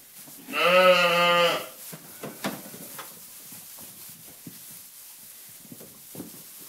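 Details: Ryeland lamb giving a single loud bleat about one second long, a steady wavering harmonic-rich cry, followed by soft rustling and knocking sounds indoors.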